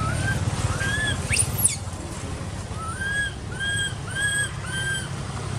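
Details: Crying baby monkey whose mother ignores it, in an archaeological park: a few arched whistled wails, a brief burst of high sweeping squeals, then another run of evenly spaced wails over a low rumble.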